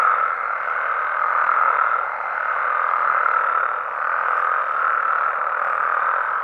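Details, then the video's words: Mexican frogs and toads in a nighttime chorus, dense overlapping croaks that swell and ebb in slow waves, roughly every second and a half, with no gaps. "Mexican Frogs & Toads Sounds"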